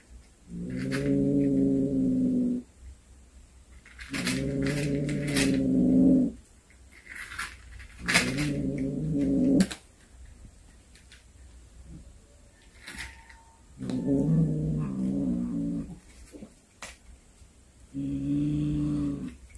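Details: Cat back home after hunting a snake gives a series of five deep, moaning yowls, each lasting one to two seconds. Uneven pauses separate them, with scattered knocks and clicks in between.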